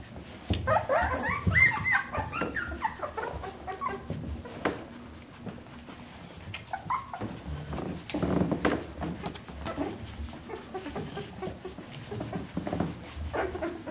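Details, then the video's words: Bernese Mountain Dog puppies of a litter, 14 days old, with short whining squeaks in scattered bursts, strongest early on, among rustling and thumping handling noises. "Jeanies und Captains Welpen 14 Tage alt Bernese Mountain Dog Puppy"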